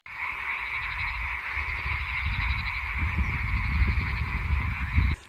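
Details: Lake frog chorus at Şıh Mahmut Karagölleri, Amanos Mountains, Dörtyol, Hatay, Turkey; continuous overlapping croaks and pulsing trills form a steady bed, with low rumbling handling or wind noise underneath.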